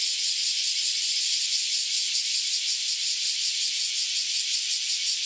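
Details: Chorus of cicadas that have just emerged after about ten years underground, singing together before flying off: a dense, loud, high hissing drone with rapid pulsing throbs, continuous throughout.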